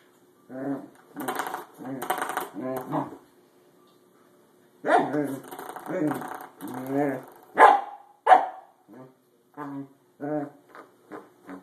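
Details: Corgi reacting to a springy doorstop it dislikes: clusters of gruff barks and growly vocalizations, with sharper yips near the eight-second mark, then shorter spaced barks, over a faint steady hum.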